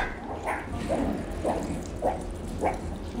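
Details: Hungry zoo meerkats call in a run of short, husky, bark-like notes about twice a second, noisily demanding food at feeding time over a low background rumble.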